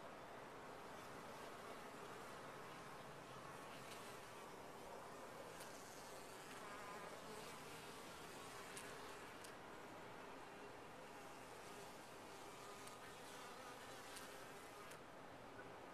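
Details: A steady, unbroken humming drone comes from honey bees in a top-bar hive over sixteen seconds, with light clicks and faint high bird notes scattered through it.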